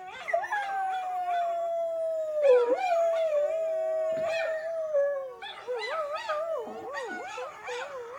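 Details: Pet dog singing along with a recording of howling dogs; a long slowly falling howl lasting about five seconds, followed by a chorus of wavering, yodelling howls from several overlapping voices.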